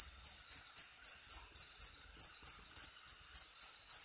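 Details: Jangkrik, or cricket, chirping for songbird tutoring: about fifteen sharp, high-pitched chirps in four seconds, each a tight doubled pulse, evenly spaced and strong, with nothing else audible.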